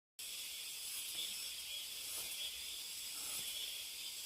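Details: Cicadas deep in a mountain forest, a steady, dense high-pitched buzzing hiss that holds unbroken and even throughout, with no other clear sounds.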